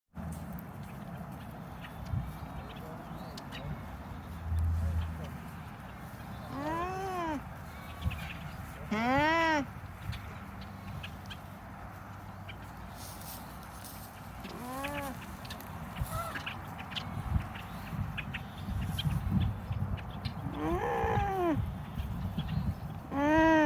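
An alpaca gives short, tonal humming calls that arch up and then fall, repeated every few seconds.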